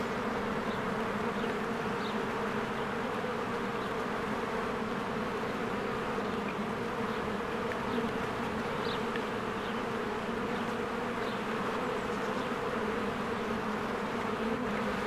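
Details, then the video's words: A spring beehive busy with bees flying to and from the entrance gives a continuous low hum layered with many wingbeats. Several short, thin bird notes rise faintly above the drone. "1 Hour of a Beehive ASMR"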